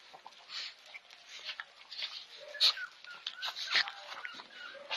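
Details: Two-and-a-half-month-old Shih Tzu puppies give thin, high-pitched whines and squeaky yips in an irregular, overlapping jumble.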